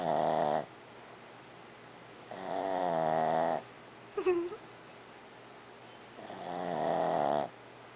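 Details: Snoring dog called Barbie: three buzzy, wavering snores over a couple of seconds each, with a brief higher squeak or creak between the second and third breaths.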